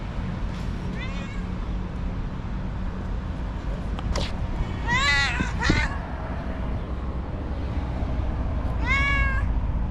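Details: White female domestic cat, described as angry, cranky and nervous, meowing: a faint short meow near the start, then a loud strained rising-falling meow with a sharp cry, and another harmonic meow at the end over a steady low hum.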